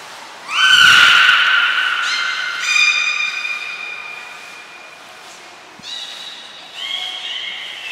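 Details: Beluga whales named Gray and Mirai during a training session at Port of Nagoya Public Aquarium, Japan, on 15 June 2022; loud harmonic squealing calls with long drawn tones, several separate bursts over a few seconds.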